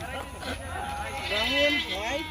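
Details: Black Bengal goats at a livestock research farm in Savar, Bangladesh, where five varieties of this landrace are kept; wavering, harmonic bleats rise and fall over a man's speech.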